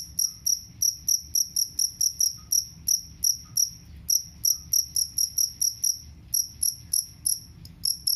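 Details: Jangkrik kalung cricket, a sound used to drive rats away: high, bright chirps pulsing in a steady, fast run of roughly three to four per second, with a few brief pauses and a faint low hum beneath.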